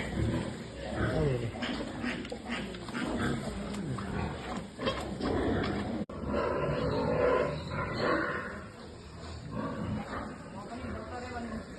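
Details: Farmed pigs in Nepal giving rough, low grunts and growling snorts in irregular bursts across the recording, with a man's voice talking intermittently in the background.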